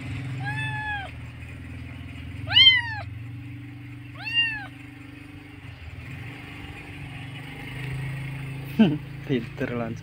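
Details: Kitten in Indonesia calling for its mother: three arched meows in the first five seconds, then clicks and clatter over a steady engine-like hum and faint voices.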